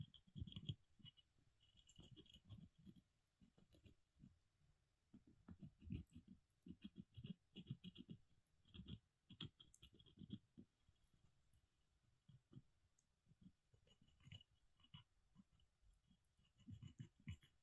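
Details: Molly, a pet squirrel kept indoors, gnawing: dry scraping and crunching bursts come in quick irregular runs for about seventeen seconds, with faint high clicks above.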